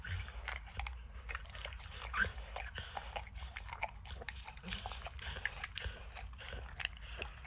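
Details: Max the dog licking peanut butter and kibble from an orange lick mat, recorded close up with no talking: a steady run of wet clicking and smacking taps, with a soft low rumble underneath.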